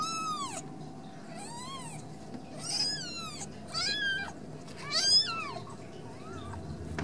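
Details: Ragdoll kittens raised indoors without cages at a cattery in central Kansas, giving a run of high, thin mews, each arching up then falling, about six calls over seven seconds with a steady low hum beneath.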